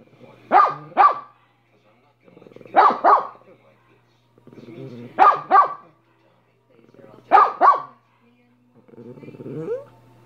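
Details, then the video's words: Dog Minnie barking in paired bursts, two quick barks repeated about every two to three seconds, four pairs in all, with soft grumbling noises between them. "Minnie barking for 5 minutes"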